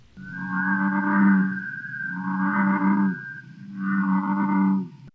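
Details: A male American bullfrog, Iowa's largest frog, calls from a pond in summer to hold territory and attract a mate: deep, droning bellows, three drawn-out notes in quick succession.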